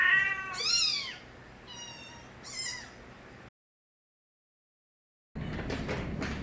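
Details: Crying of young stray kittens, Nabi's offspring filmed as babies in Korea: loud, high harmonic meows rising then falling, three clear calls in the first three seconds, a silent gap, then a burst of noisy rustling.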